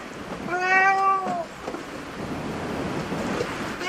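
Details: Cat at a cat cafe voicing a single clear, slightly arched meow lasting under a second, followed by steady low background rumble and faint room noise.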